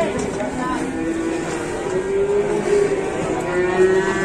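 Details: Very large cattle unloaded from a truck in Indonesia, mooing with a low drawn-out tone over steady engine rumble and background noise, men talking nearby.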